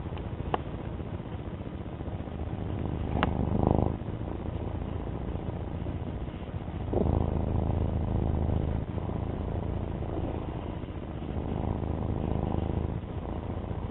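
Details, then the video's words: Domestic cat Alfie purrs continuously, a low buzzing rumble rising and falling in breath-like cycles every few seconds, with a couple of brief faint clicks early on. "My cat Alfie slide show with his purr"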